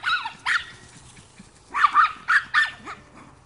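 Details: Two Chihuahuas playing wildly: short, high, strained yips and squeaky play barks in clusters, some doubled, with brief quiet gaps between bursts.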